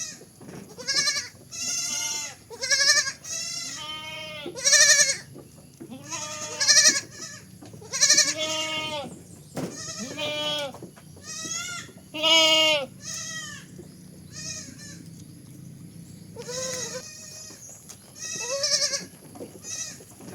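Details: Long run of baby goat bleats, roughly one every second or two, quavering nasal cries varying in length and loudness, some breaking into higher strained tones, with a soft background hum.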